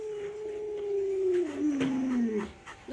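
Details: A drawn-out, gradually falling howl from Luoluo, a family's Alaskan Malamute, near feeding time with a chicken leg. The tone glides steadily lower for about two and a half seconds, with faint room noise and clatter behind.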